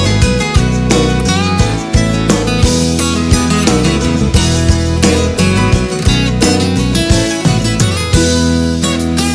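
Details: Strummed acoustic guitar music with a country feel and steady beat, plucked notes over a bass line, fills the whole stretch with no animal voice.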